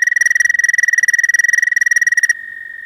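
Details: Loud, even pulsed trill of an American toad's love song stops abruptly after about two seconds while a fainter toad trill carries on at a similar pitch.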